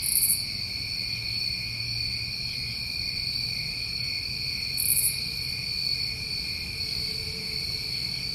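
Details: Nighttime chorus of New England summer crickets, constant ringing high trills, with a very high buzzy burst at the start and another near five seconds, over faint low hum.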